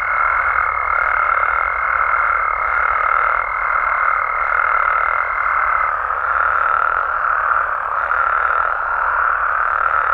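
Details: Frogs and toads in Mexico chorusing at night: a thick, unbroken trilling mass with faint pulses about every two seconds, and a high, steady whistle that stops around the six-second mark.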